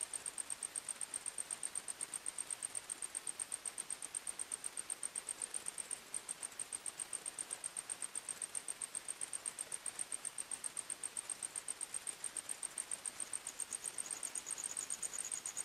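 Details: Forest crickets at night keep up a long, steady high-pitched pulsing chirp, roughly three beats per second, and a second lower trill enters near the end.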